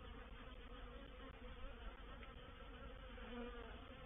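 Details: Honey bees of a reproductive swarm entering a swarm trap on 04/07/21. A dense, continuous droning buzz fills the whole stretch, even and unbroken, with many bees humming together at a steady pitch.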